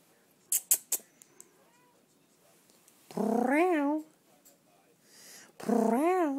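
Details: A cute little kitty gives two drawn-out, wavering meows that rise and fall in pitch, each about a second long, after a few short sharp taps; a person's voice speaks softly to it nearby.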